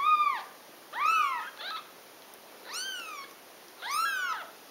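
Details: Cat nursing kittens in a mother-and-kittens compilation; four high, arched, harmonic mews, each rising then falling, spaced about a second apart, clear over a quiet room.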